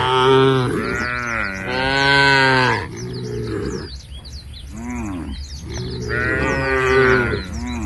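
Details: A herd of tame cows heading to a field beside a forest, giving overlapping drawn-out moos, some rising and falling, with birds chirping faintly throughout.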